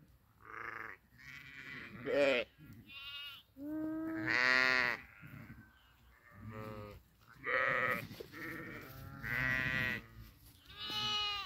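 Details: Several grazing sheep bleat almost continuously, with about eight wavering calls that alternate between higher and deeper voices and come every second or two. Faint background murmur in between.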